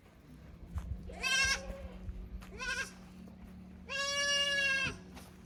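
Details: Young goat kids at Yoshigake handmade goat farm, Japan, 15 May 2024, visiting the upper pasture from the lower one and unsettled in unfamiliar ground; three loud, harmonic, wavering bleats, the last one longest, over a steady low hum.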